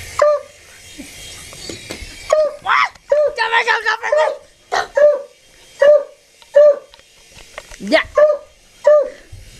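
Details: Dog barking at a helicopter: a steady run of short, mid-pitched barks about every second, with a burst of overlapping human speech early on and a faint background hiss.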